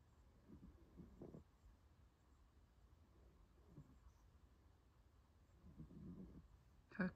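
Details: A female puppy napping indoors, comfortable and warm in a blanket, gives soft, breathy snores: low rasping bursts near one, four and six seconds, with quiet room hum between.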